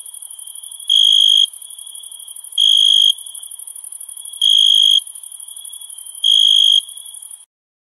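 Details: Night-time summer crickets: four bright half-second chirps spaced nearly two seconds apart, layered over an even, high shimmering drone that cuts off just before the end.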